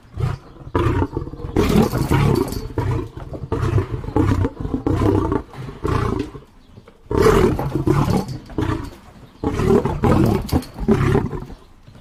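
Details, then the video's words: Deep, gravelly lion roars in long rough bursts, broken by brief pauses, with one loud burst after a short silence. "lion sounds"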